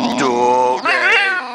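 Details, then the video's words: Saydee, a female Boxer dog, argues back when talked to in a way she dislikes: a sustained, harmonic, moaning vocal note that drops briefly, then rises into a higher wavering tone. "My Boxer Dog Saydee Arguing with me"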